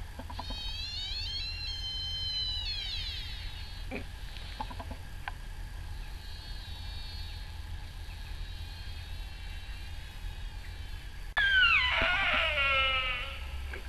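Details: Sika deer stags at RSPB Arne on 20 October 2012: a fainter high harmonic wail early on, then a loud, piercing cry that slides steeply downward and tails off, over steady low wind rumble.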